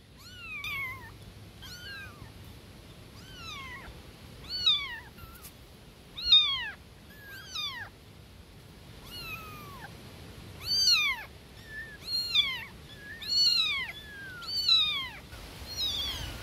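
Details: Newborn kittens meowing loudly for their mama cat, a steady series of short high mews, each arching up then dropping, roughly one every second, growing louder and more overlapping toward the end.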